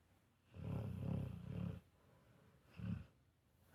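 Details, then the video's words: Pit Bulls cuddling and sleeping in the morning, just before Thanksgiving, give deep rattling snores: three joined low bursts over about a second and a half, a pause, then one shorter snore. "Two Pitbull Dogs Cuddling & Snoring"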